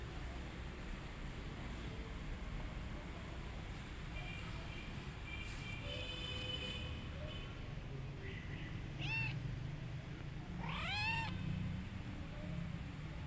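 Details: Mother cat on patrol, guarding her kittens while they are out: two loud, arching meows late on, the second stronger and rising then falling, after fainter tonal calls, over a steady low rumble of background noise.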